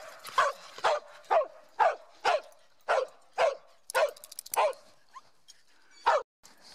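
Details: Mieli, a dog showing Schipperke zoomies while hiking Grand Staircase-Escalante National Monument in southern Utah, barks in a regular series of about ten sharp, high barks, roughly two per second.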